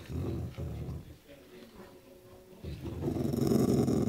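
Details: Dog growling grumpily at anyone who comes near while it enjoys a meaty bone indoors; low rumbling growl bursts in the first second, a quieter stretch, then a louder, sustained growl from about 2.7 seconds to the end.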